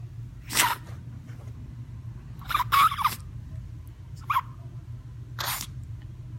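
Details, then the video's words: A small Chihuahua in a sneezing episode worrying enough that a vet visit was considered, giving a series of sharp, explosive sneezes: one early burst, a strong double sneeze midway, a brief one and a final burst, over a low steady hum. "Sneezing Chihuahua"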